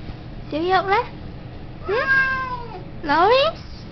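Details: A talkative male Siamese cat gives three loud, drawn-out meows that rise and then fall, asking to go outside to play.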